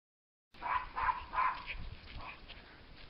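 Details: Female Schipperke puppy, born December 4, 2016, giving three quick high barks about a third of a second apart, then softer fading yips.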